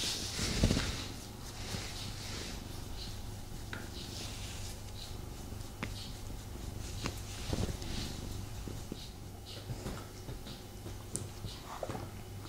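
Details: Snuggling male pet cat gives a low continuous purr indoors, partly covered by rustling movement, a few soft thumps and brief clicks.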